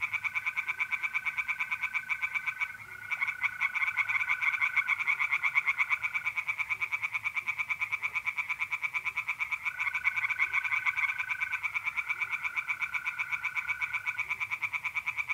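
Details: Tree frogs singing in a pond at night in mid-April, north-east Italy: a dense chorus of rapid, pulsed croaks repeating about three times a second, with long steady trills of mole crickets running beneath in drawn-out stretches.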